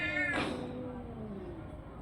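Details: Orange and white domestic cat with a brief harmonic meow, a sharp noisy burst, then a long low tone slowly falling away.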